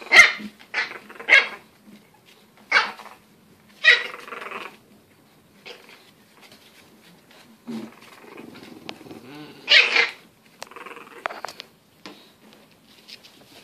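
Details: Indoors in lower Western Michigan, English Bulldog puppies let out loud, high-pitched yapping barks in irregular bursts, some paired, between quieter growls and snuffles during rough play.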